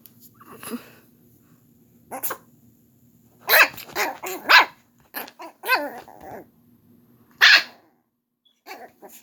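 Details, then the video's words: Indoor pet dog barking at his older sister, another dog: irregular clusters of short, bright, yappy barks mixed with growly grumbles, a loud single bark near the end, then quieter snorts. "Po barking at his older sister Caramelo"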